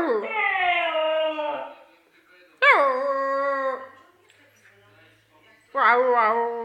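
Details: Sustained Siberian husky howls, three long notes each swooping up at the start then holding steady or wavering, separated by a few seconds of quiet.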